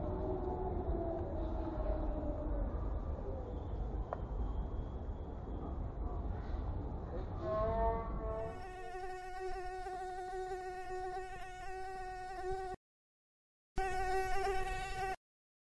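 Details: Asian tiger mosquito (Aedes albopictus), an invasive species, in Kristina Enea – Gladys park, Egia, Donostia, September 2023: about eight seconds of low rumbling background, then a steady, high, thin whine with rich overtones, briefly cut off near the end.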